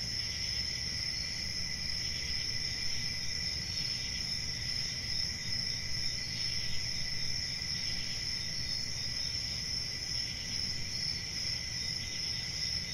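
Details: Long steady stretch of cricket chirping: a bright, sustained high trill with a lower companion tone, never pausing, set against a low constant background murmur.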